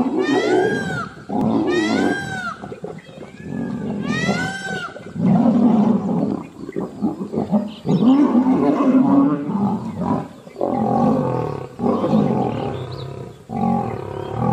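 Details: Asiatic lion in the Gir Forest, Devaliya safari park at Sasan Gir: a long run of low, grinding roars and grunts in uneven bursts. Sharp, arching higher cries break in several times during the first five seconds.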